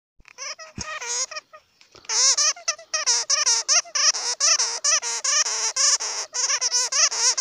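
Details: Bat squeaks, known in Hmong as suab puav quaj: rapid, wavering, harmonic-rich shrieking bursts that crowd together after a short hesitant start, with quick repeated notes running almost continuously through the second half.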